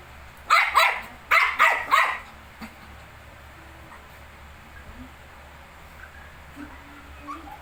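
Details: Shih Tzu kept with 19-day-old puppies gives two tight bursts of three bright, yappy barks in the first two seconds, followed by near-quiet with only faint small sounds.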